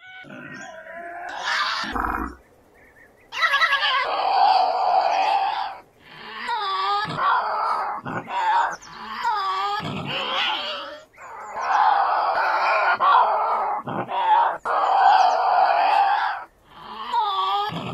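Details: Tasmanian devil growls and screams, long harsh rasping bouts with wavering tonal bands, broken by brief quiet gaps, the roughly two-second pauses between loud stretches.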